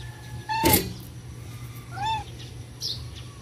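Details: Stray cats being fed give two short arched meows about a second and a half apart, then a faint higher squeak, over a steady low hum.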